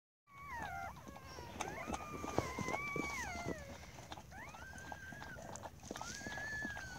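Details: Siberian Husky litter being born, newborn pups arriving as the mother tends them; high whining squeals that slide up and down, several overlapping in drawn-out wavering tones, with soft rustling and clicking handling noises throughout.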